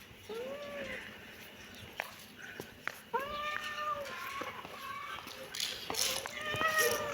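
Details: Kitten meowing: several short, thin, rising-then-falling meows scattered across the recording, with faint background hiss and some clicks.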